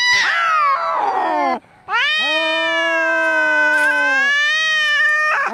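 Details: Fighting, angry cats used as a rat-scaring sound: a harsh, rough yowl breaks off, then a long steady howling wail follows, rising again at the close.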